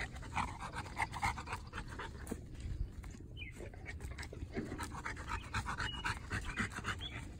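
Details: A three-year-old female North American Mastiff, a foundation dog of the breed, filmed in April 2019, panting in quick rough breaths about four per second, with soft shuffling and low background rumble.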